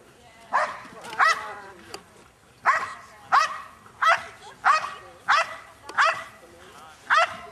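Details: Guarding an object and facing the decoy at the 2009 NARA Championships Decoy Super Selection, the 7.5-year-old female Belgian Malinois Chaos (FRIII) gives around ten loud, rough barks, mostly spaced about half a second apart after an opening pair.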